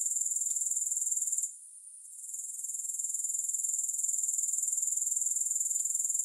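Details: Steady high, hissing insect trill from grasshoppers, pulsing roughly four beats a second, softening for about a second midway, then building back to full strength; a couple of faint ticks, otherwise nothing else heard.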